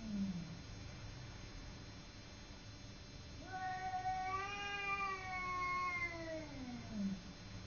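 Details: Simba, a domestic cat facing off with the neighbour cat, lets out one loud, long rising-and-falling howl rich in overtones, preceded by a short low growl and followed by another brief low cry.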